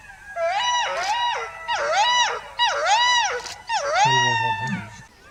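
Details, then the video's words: Indian wolf of the Indian subcontinent: four short arching howl-yips in quick succession, each dipping then rising and falling, roughly one per second, with a low rumbling tone under the last. "Amazing Wolf Howl Compilation"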